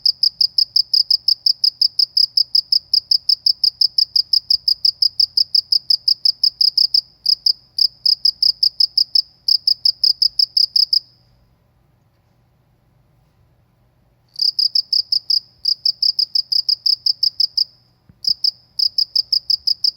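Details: Cricket chirping in a rural setting: long runs of fast, clear, high-pitched pulses, a silent stretch of about three seconds in the middle, then the rapid chirping resumes with short breaks.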